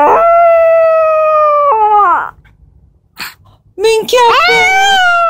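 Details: Black-and-tan long-haired Chihuahua lifting its head and answering when its owner calls: long, clear, harmonic howling notes that hold steady then drop, a pause with a brief human voice, then another rising, wavering howl.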